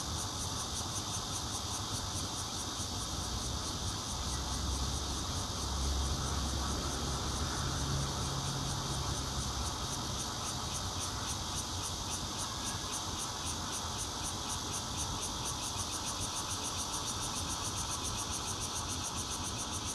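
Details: Recorded 16 June 2013 with a Nokia Lumia 820 at a fourth-floor home in Zhongli City: bear cicada singing amid red-veined cicadas, an unbroken high pulsing buzz, with a brief low droning tone rising and fading partway through.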